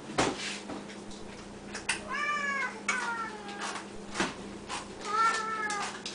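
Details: Siamese cats calling at feeding time, fed three times a day, Samuel especially loud: three meows, the first arched, the next two longer and falling, amid kitchen knocks and a low hum.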